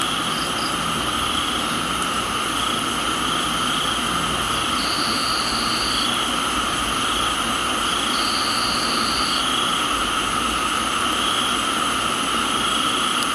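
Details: Crickets in a tropical garden in Thailand trill steadily and shrilly at several pitches over a constant hiss of rain.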